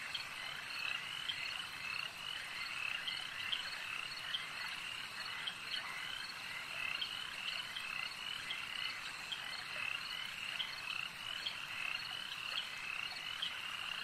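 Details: A lakeside frog chorus: many overlapping croaks merge into an unbroken, high-pitched trill, with sharper pulses repeating every second or two and no other sounds rising above the calling.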